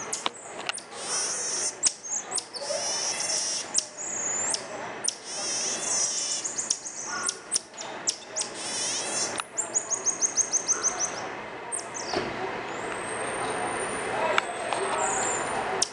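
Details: Common marmoset, the mico, calling oddly: long stretches of dense high chatter and buzzy trills, a rapid series of short repeated chirps midway, then a couple of thin sustained whistles, all above a steady hissing background.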